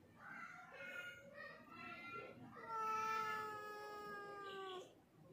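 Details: Domestic black cat indoors giving a series of meows: short tonal calls at first, then a long drawn-out meow that falls slightly in pitch, with rich harmonics; quiet room background.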